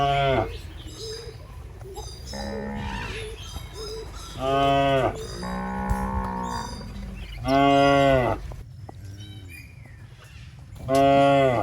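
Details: Fat, tame cattle roaming a rice field in Indonesia while grazing; several long, deep, harmonic moos, each swelling for one to two seconds, with chewing and rustling between calls.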